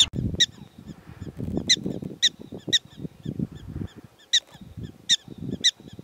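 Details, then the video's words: Scattered high, clipped chirps from prairie dogs in Theodore Roosevelt National Park, coming singly and in pairs at uneven intervals, partly masked by rumbling wind and rustling. "Prairie Dogs talking"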